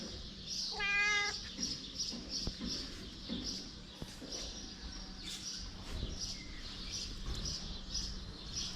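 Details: A mother cat with her kittens among stray street cats. A single short, clear, tonal meow comes about a second in. Busy chirping of small birds continues throughout the background.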